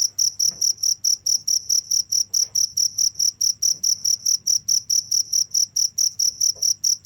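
A cricket chirps steadily, high-pitched pulses repeating a little over twice a second.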